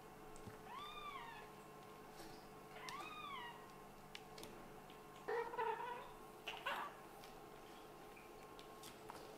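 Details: Playful kitten from a litter of Scottish Fold and British Shorthair parents gives two clear arched meows about two seconds apart, followed by rougher, noisier bursts and faint knocking over a low room hum.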